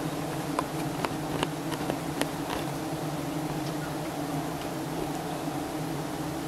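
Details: Giant honey bee colony disturbed while honey hunters in Thailand take honey from its high nest; an unbroken, even buzzing hum underlies a series of short sharp clicks spaced about half a second apart.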